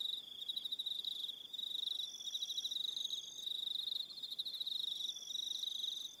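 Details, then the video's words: Continuous shrill pulsing of crickets at evening on Aroha Island, New Zealand, several insects calling together in a steady high chorus with short breaks and faint sustained tones above it. "1 Hour Relaxing Evening Sound of Crickets"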